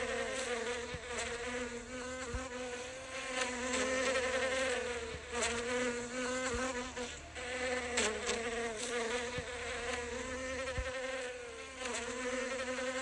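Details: Close-up recording of a foraging bee at flowers. Its continuous wing hum drones on for the whole stretch, wavering gently in pitch and loudness, with a few faint ticks in the background.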